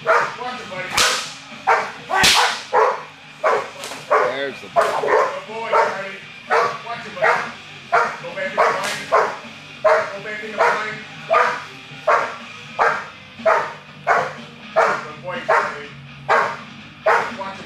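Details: A 21-month-old American Bulldog named Charlie in Schutzhund protection work, dated 10-7-11, barks in a long, insistent series: about twenty harsh barks, closely and fairly evenly spaced, some louder bursts near the start.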